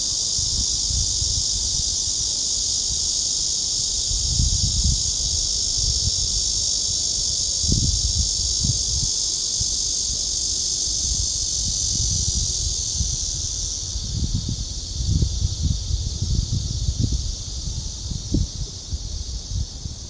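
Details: Cicadas keep up a steady, high, hissing drone, with low footstep and wind thumps beneath, on a walk along the Gwanggyo Lake Park trail by Sindae Reservoir in Suwon, Korea, on 16 August 2022.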